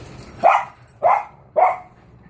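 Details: Cocker Spaniels at play, urged on by a person to go get something; three short, sharp barks spaced about half a second apart, each with a bright, punchy onset.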